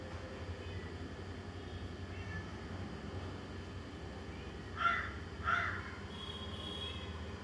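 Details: Domestic cat crying when it sees another cat: two short, sharp cries close together near the end, over a steady low background hum.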